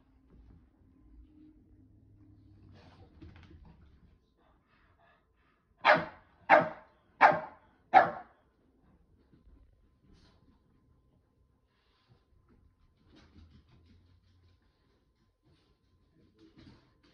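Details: During a tug game with a chili pepper toy, one of two pet dogs, a Boston Terrier and a Keeshond, gives four sharp, loud barks spaced under a second apart midway through, with faint low rustling and quiet indoor stillness around them.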